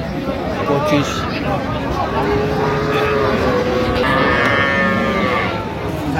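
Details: Cows with calves at Ambari haat livestock market, Dinajpur, Bangladesh, 31 October 2025; a drawn-out lowing tone rises over steady crowd murmur and bargaining voices, and a second harmonic moo arrives near the end.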